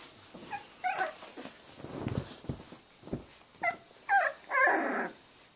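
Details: Three-week-old Boxer puppies playing together, learning to play: a string of high, wavering squeaky yips and whines mixed with short low growly grunts and rustling, irregular and about twice a second.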